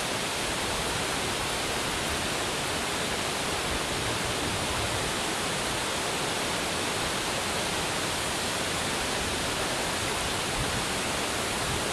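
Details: Steady broadband rushing noise, like running water or a shower, fills the whole twelve seconds with no animal voice.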